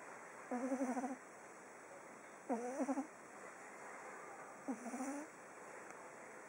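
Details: Oliver, a pug, sleeping on day 19 and snoring: three nasal, fluttering snores, each about half a second long, come roughly every two seconds with quiet breathing pauses between them.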